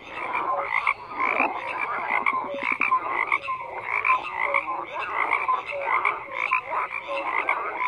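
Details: A steady frog chorus of gravelly, pulsing croaks overlapping continuously, with a quick rattling trill early on and repeated short whistled notes in the background.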